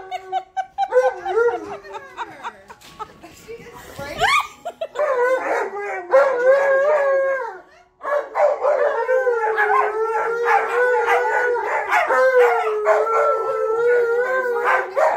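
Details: An Alaskan Malamute and a husky, excited at reuniting with their brother dog, howl together in long, wavering, overlapping tones.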